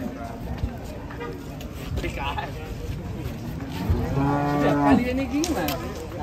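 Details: Cattle at an Indonesian market, including a jumbo cow once said to weigh one ton, low mooing emerging late amid background bustle, a short harmonic-rich bellow near the end over steady market noise and faint music.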